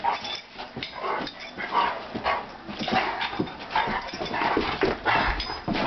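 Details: Two Rottweilers playing on New Year's Day give rough, throaty growls and short whining yelps in quick, irregular bursts.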